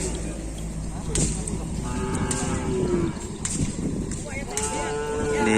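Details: Cattle in full training for a kerapan sapi bull race at the Asemanis field, Pamekasan: two drawn-out, steady moos, the second longer, over a constant rumble, sharp clicks and background chatter.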